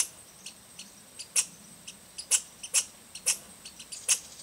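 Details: American red squirrel (Tamiasciurus hudsonicus) at Rydell NWR, Minnesota, on 10 August 2010, gives a scolding chatter of sharp, dry, high-pitched chips at uneven intervals, with peculiar bass undertones embedded.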